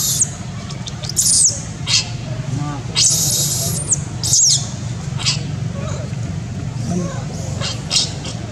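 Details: A young female monkey gives shrill, piercing, loud crying in short bursts while another monkey protects her from a third, with a low hum and faint voices behind.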